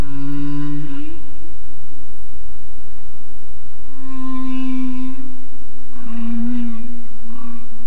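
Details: Humpback whale (Megaptera novaeangliae) song recorded by a hydrophone 900 m deep, about 30 km offshore in Monterey Bay: long, low moaning tones with rich harmonics, rising and falling in drawn-out units.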